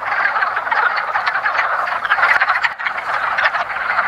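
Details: Wood frogs (Rana sylvatica) calling in a woodland pond at the first hint of spring during their annual mating ritual: a dense chorus of rapid, overlapping clucking croaks, with a brief dip near the middle.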